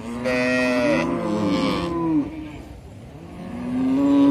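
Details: A cow lows in drawn-out, wavering moos, the first about two seconds long and falling at its end, then a quieter gap before another rising moo begins.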